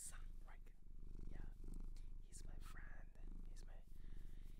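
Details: Domestic cat adopted from a shelter in Japan, purring indoors: a steady, low, rapid rumbling pulse runs throughout, with soft human speech and small handling noises laid over it.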